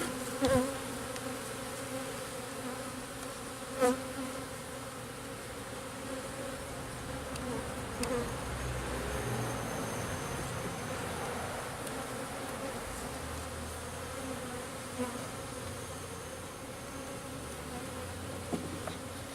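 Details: Local bees being installed into a garden-style backyard hive: a steady low hum of many bees throughout, with a few sharp knocks and clicks near the start.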